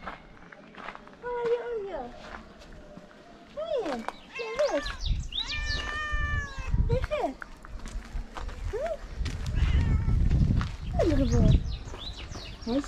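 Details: Oreo, a hungry female cat among Morocco's street cats, meowing for food rather than wanting cuddles; a run of clear, harmonic meows, some rising then falling, repeated every second or two, over low rumbling background noise and faint chirps.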